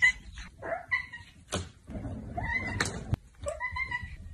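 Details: Domestic cats from a funny cat compilation, indoors: short harmonic meows, some falling and some rising, come in bursts between sharp clicks and thumps, with faint room noise underneath.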